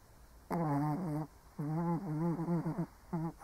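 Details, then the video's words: Old Shih Tzu asleep, snoring in drawn-out, wavering, voiced groans: three bursts of rough, tonal rumbling, the middle one longest at over a second, with quiet room hiss between them. "Snoring Shih Tzu (cute/old doggo sleeping)"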